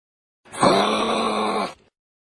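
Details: Kangaroo cub giving a single drawn-out harmonic groan, about a second long, steady in pitch with rich overtones and a slight rise at the start, in an otherwise quiet recording.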